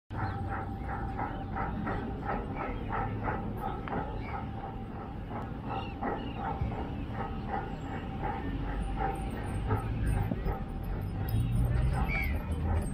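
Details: An indoor Siberian Husky barks in a fast, uneven series of short, harsh woofs, about three each second, disturbing a Labrador's game, over a constant deep rumble like traffic or wind.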